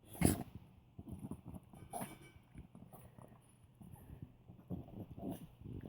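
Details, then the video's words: Old Poodle named Scooter making pig-like noises as he eats a tasty treat: low, rough grunts and snorts in irregular short pulses, with one sharper louder sound near the start and quieter snuffles after. "Dog making pig noises."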